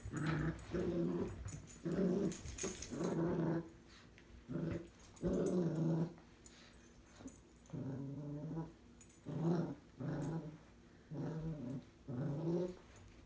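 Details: Two Cavalier King Charles Spaniels, one tricolour and one Blenheim, growl while fighting over a string toy indoors; low rumbling growls in bursts of about a second, separated by short pauses, repeated throughout.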